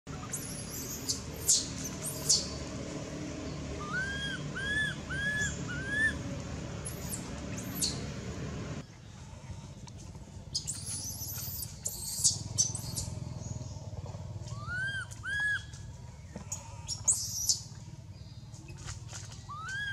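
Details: Baby female monkey Anissa at Angkor Wat temple, crying in pain after being hit and dragged across hard earth by another monkey, Aron: clustered high arched squealing cries, rising then falling, in bursts, with faint background hum.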